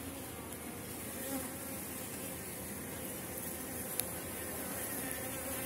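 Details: Honey bees buzzing at an opened hive in August, late in the season with strong colonies; a steady dense hum with faint harmonic bands, one brief click near the end.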